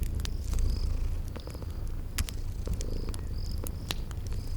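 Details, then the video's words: Sleeping cats purr in a rumbling drone while a fireplace crackles and snaps and crickets give brief high chirps, spring garden ambience. "Relax with Cute Sleeping Purring Kitties"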